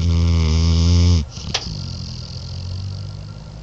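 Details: Morbidly obese black dog asleep, snoring: one low, buzzy, rattling snore lasting about a second, then a sharp click and quieter low breathing against a steady room hum.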